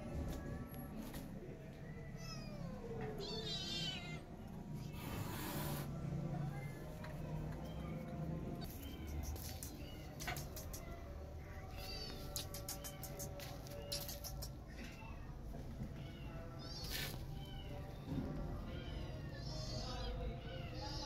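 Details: Angry mother cat chasing a feral cat away to protect her newborn kittens; repeated wavering meows and yowls, some long and bending, with sharp knocks and rustling over constant low background noise.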